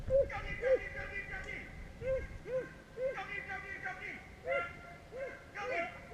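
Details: Beagles in Vera, Virginia give repeated arched, ringing bays, several voices overlapping in bursts about twice a second with short gaps, a loud pack chorus with faint background noise.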